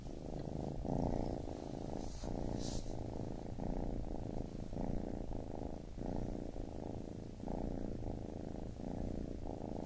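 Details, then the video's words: A baby kitten's purr, a low, grainy vibration pulsing in regular breath cycles of roughly a second, with a brief faint rustle early on. "Baby Kitten Purring"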